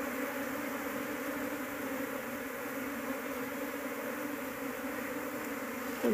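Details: Apis cerana honey bees, a large colony whose queen is being sought for home beekeeping, give a continuous layered drone, a strong low hum with fainter overtones, ending in a brief handling knock.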